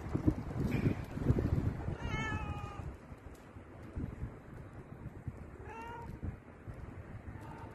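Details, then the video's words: Domestic cat under caressing hands giving two faint, brief meows, partly covered by heavy rubbing and thumping noises of handling. "Beautiful and soothing cat sound"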